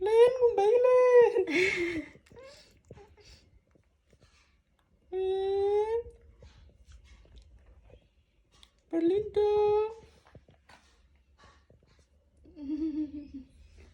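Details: Baby monkey wanting to hug a boy, giving four bursts of clear, tonal, squealing coos, some wavering and others held steady or falling slightly, separated by quiet pauses in a small indoor room.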